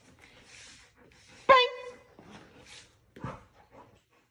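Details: A trained Siberian husky doing tricks, taught with positive reinforcement, lets out one sharp, strongly harmonic yelp-like vocal, followed by softer, mumbled, talk-like vocal sounds and brief quiet gaps.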